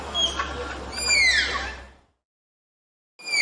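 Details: Malayan tapir giving a thin, high whistled squeal that slides downward, with a fainter rising whistle near the start, over a hissing, noisy background; then silence before another high whistle begins at the end.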